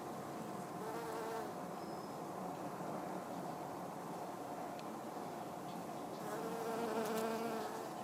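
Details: Honey bee (Apis mellifera) foraging on flowering Hebe speciosa shrub blossoms; a mid-pitched wing buzz swells in and out, loudest near the end, over a background of soft rustling and a faint high steady tone.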